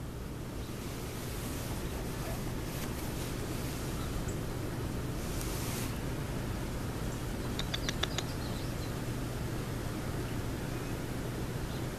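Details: Quiet, steady background hiss and low hum continue throughout, broken only by a few faint, brief clicks near eight seconds.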